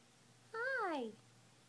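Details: Female Munchkin cat Ilo talking while lounging at home indoors: a single drawn-out meow that swells slightly, then slides steadily downward in pitch, against a quiet room background.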